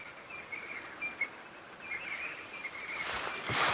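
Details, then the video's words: Angry squirrels alarm calling near a tree where owls may live, South African game reserve, early morning drive on October 3, 2016; repeated thin high chirps under insect-like background hiss, ending in a rustling burst. "there's some squirrels alarm calling."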